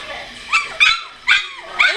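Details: ["Two-week-old puppies with eyes opening and becoming more mobile, recorded 30 March 2017: four short high whining yelps, each rising then falling, about every half second, with a woman's soft voice talking to them."]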